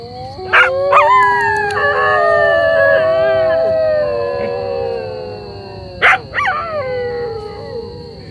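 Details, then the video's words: Domestic dogs howling like jackals at dusk in the forest near Dublagadi sea beach, Odisha, India, while many jackals call across the area; several long, wavering, overlapping howls hold steady and slide in pitch, broken by a few sharp knocks. "কুকুরগুলো শিয়ালের মতো ও করে ডাকছে।"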